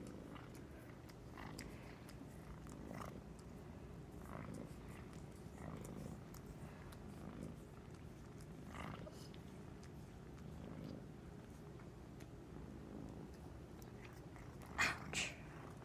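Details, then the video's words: Napping cat dreaming in the daytime, then waking; faint low rumbling snore with soft breath pulses every couple of seconds, two louder knocks near the end. "Cute cat is snoring, twitching, dreaming and waking up."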